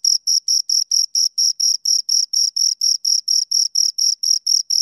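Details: Two crickets stridulating, a steady run of short shrill chirps about four per second, each pulse even in loudness, no other noise present.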